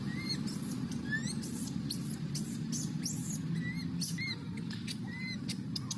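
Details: Baby wild monkey crying for milk, giving repeated short upward-curving squeaks about once a second, layered over a dense low rumble and sharp clicking sounds.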